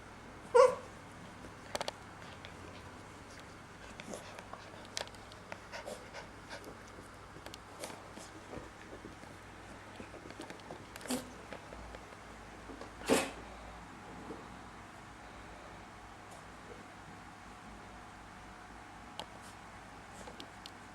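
Corgi puppies give a few sharp, breathy sneezes, separated by long quiet stretches.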